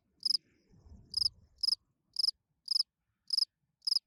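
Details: Field cricket at night giving its calling song to attract females while hidden in a burrow; evenly spaced pulsed chirps roughly every half second, a faint low rustle near the start.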